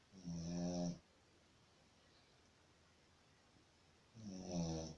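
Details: Shih Tzu asleep and snoring: a deep, vibrating snore at the start and another about three seconds later, each a rasping, droning breath, quiet in between.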